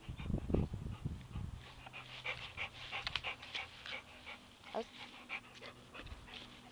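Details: Labrador Retriever Buddy plays soccer: opening thuds and bumps from the ball, then steady quick panting, breathy and uneven, roughly three breaths a second, with faint background noise.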